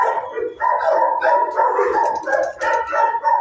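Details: A one-year-old female dog in a shelter kennel gives harsh, overlapping barks and drawn-out, half-howled yelps, about three per second, against echoing kennel noise; she backs away and needs much reassurance.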